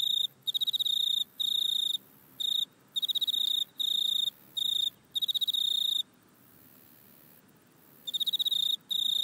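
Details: Back-yard grasshopper recorded on an iPhone, giving shrill, rapidly pulsed buzzing bursts of under a second, repeated regularly, then falling silent for about two seconds before resuming.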